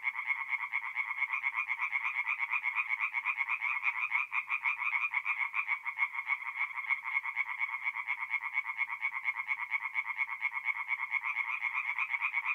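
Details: Tree frogs singing at night at a forest pond in north-east Italy in mid-April: a dense, unbroken chorus of rapid, rasping pulses, steady and loud, with overlapping callers throughout.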